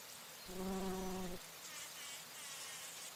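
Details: A bumblebee flies past flowers where it drinks nectar, giving a strong, low hum with clear overtones for about one second, then fading to a faint drone under constant high-pitched hiss.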